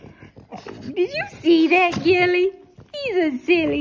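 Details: A Boston Terrier wakes from sleep and sings along to music in drawn-out, wavering howls that slide up and then sag down.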